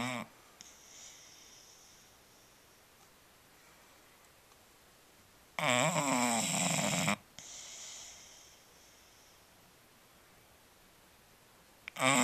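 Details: Sleeping Bulldog named Marshall gives a loud, harsh, droning snore lasting about a second and a half amid long quiet breathing gaps, with another snore beginning at the end.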